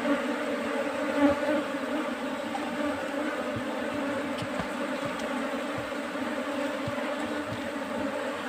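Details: Colony of bees settled inside a beekeeper's trap box. The hive's low, buzzing drone stays continuous, with small flickering pulses and occasional soft ticks over the even hum.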